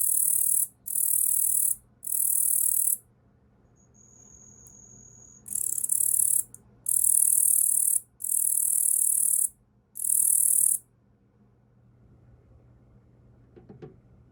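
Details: A Yabukiri katydid (Tettigonia orientalis), hand-raised since caught as a spring nymph, sings perched on a person's arm in loud, hissing buzzes about a second long, separated by short pauses.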